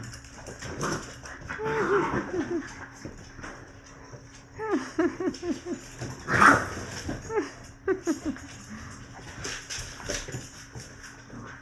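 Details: Six-week-old American Bully puppies from a kennel in Buffalo, New York and Niagara Falls, Ontario, harass their father Titus; bursts of short squeaky yips and whimpers come and go, with people talking over them.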